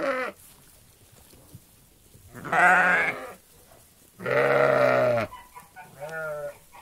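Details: Flock of sheep in a meadow: two loud, wavering harmonic bleats of about a second each, separated by quiet gaps, plus a shorter, softer bleat at the end and a brief one at the start.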